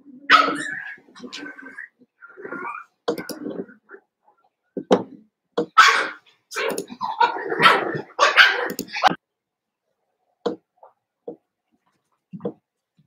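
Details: Litter of Cavalier King Charles Spaniel puppies play-wrestling indoors with their auntie; high yips and short sharp barks pile up densely through the first nine seconds, then thin out to a few isolated squeaky yips.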